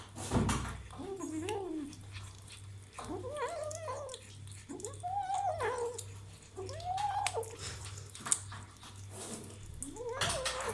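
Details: Kitten having meat for the first time utters a string of short, arched, moaning growls, each rising then falling, roughly every second or two, with a constant low hum underneath and occasional clicks.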